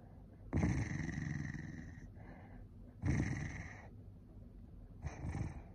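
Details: An angry Corgi lets out two long, harsh growling bursts, each about one to one and a half seconds, then a shorter one near the end. A low murmur continues between them.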